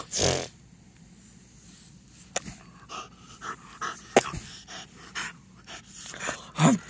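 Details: Timber the French Bulldog plays on a couch covered with clean blankets at home; scattered snorts and sniffs, blanket rustling, ending in a short rising grumbly vocal.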